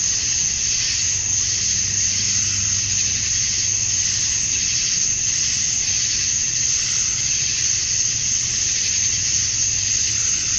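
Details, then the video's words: Summer-night cicada chorus at dusk in Georgia, USA, males calling to draw females; a continuous, even, very high buzzing wall of sound without pauses, plus a soft low hum in the background. "Cicadas at Dusk, Summer Night"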